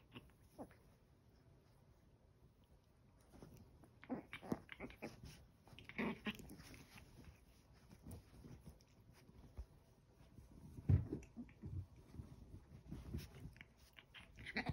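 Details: Eleven-week-old Chihuahua puppies tussling over a towel indoors: scattered short growls and squeaky yips in uneven bursts, quiet at first and busier toward the end, with rustling and scuffling between calls.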